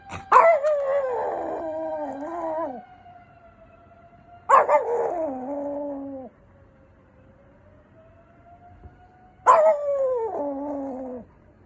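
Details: Papillon howling in imitation of a fire engine siren: three long, wavering tonal howls, each opening with a sharp yelp then sliding and holding level, with quiet pauses between, the siren itself faintly audible as a steady tone.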